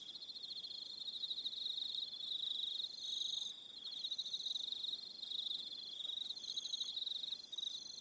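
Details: Evening cricket chorus on Aroha Island, New Zealand, a constant shrill pulsing trill joined by brief higher chirp bursts, dipping slightly around three and a half seconds, with no other sounds.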